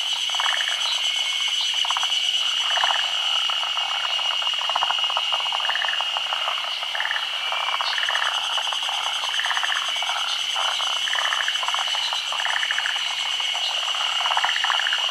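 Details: Forest green tree frogs, a species endemic to Japan, gather at midday to spawn on branches over still water in the rainy season. Several voices give rapid clicking croaks in bursts, over a steady high insect drone.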